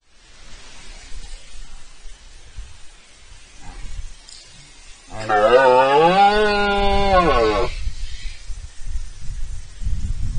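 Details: Red deer stag roaring in front of the camera during the rut, Spain, 19 September 2024; a single deep, harmonic bellow of about three seconds rises and falls in pitch. Quiet outdoor background before and after, with low rumbling.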